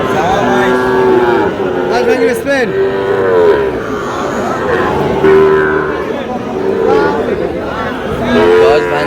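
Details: Sahiwal bull calves, aged around seven months, up for sale. Several steady, level moos follow one another every second or two and overlap, with a busy crowd murmuring underneath.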